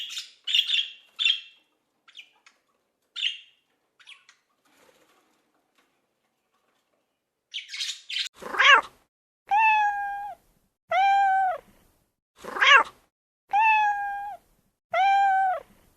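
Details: Domestic cat, described as funny, giving a series of drawn-out, steady meows, about five in a row roughly a second apart, each flat then dropping at the end; brief scratchy, chirpy noises come before them.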